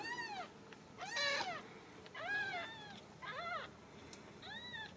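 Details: Ragdoll kittens at a central Kansas home cattery, mewing repeatedly: five arched high cries, roughly one per second, some strained and harsh, with soft room noise between.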